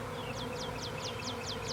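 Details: Honey bee swarm clustering on a branch in Nashville, Tennessee, on April 8th, 2020: a dense, steady droning hum fills the recording, while a bird repeats short, descending chirps about every quarter second.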